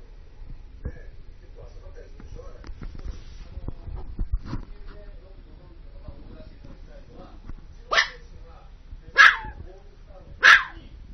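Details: Dog outdoors barking at heavy snow-removal machinery: three loud, sharp barks at roughly one-second intervals near the end, after a stretch of low rumbling background noise and faint scattered sounds.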